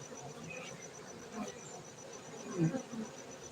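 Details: Honey bees at a honey bee farm in Gayo, Bener Meriah, Aceh, Indonesia, giving a low droning buzz with brief louder swells as individual bees pass close, over a faint steady high tone.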